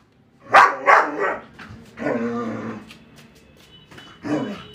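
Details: German Shepherd kept as a pet, playing with a balloon indoors: a few short, harsh barks early on, then a longer rough growling vocalization and one more brief bark near the end, set against a quiet room.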